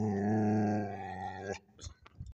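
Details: Pet Border Collie at a homestead giving a sustained, strained growl-like groan with rich harmonics lasting about one and a half seconds, then breaking off into a few short soft huffs and grunts.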